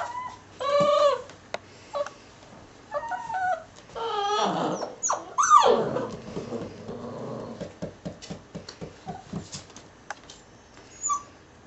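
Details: Litter of ten puppies aged six weeks, American Staffordshire terrier father and Border collie/German shorthaired pointer mother: short wavering whimpers early, then a louder cluster of high yelps around four to six seconds, fading into scattered faint squeaks and rustling.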